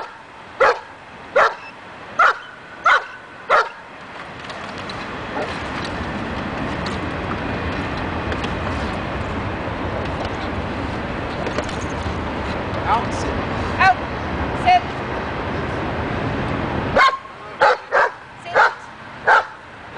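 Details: Daja, a dog in agitation table training to build confidence and barking, gives sharp barks in bursts: four at the start, a few scattered mid-clip, then five quick ones near the end, over a steady noisy background.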